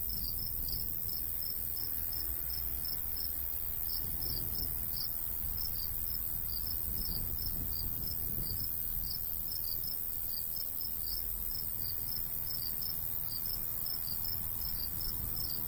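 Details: Countryside crickets in summertime, high chirps in quick clustered pulses, steady light breeze underneath.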